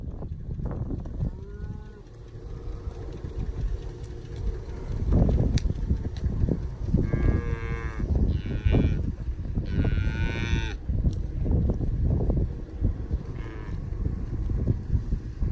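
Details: Charolais cross, Red Angus, Beefmaster and crossbred cattle, cows 2-7 years old with 1-4-month-old calves at their sides; several harmonic moos and bawls from different animals, one drawn out, over steady low rumbling and wind-like noise.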